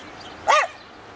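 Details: Eddie the rescue Rat Terrier ends his Christmas "Jingle Bells" sing-along with one short, arching, whining howl against quiet indoor background.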